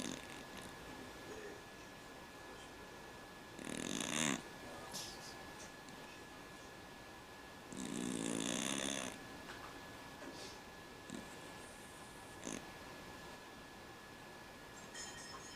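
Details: Cat snoring in its sleep, compared to a man's snore: two rough, buzzy breaths standing out above a steady background hiss and faint hum.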